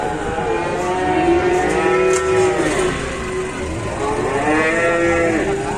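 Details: Cattle being unloaded from a truck, described as raging and agitated; long drawn-out harmonic moos rising and falling, overlapping across the clip, with a faint vehicle hum and people nearby.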